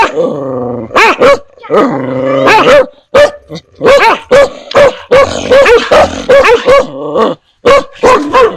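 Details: A dog barks ferociously in rapid, ringing bursts, each bark rising and falling sharply in pitch, as when meeting a stranger.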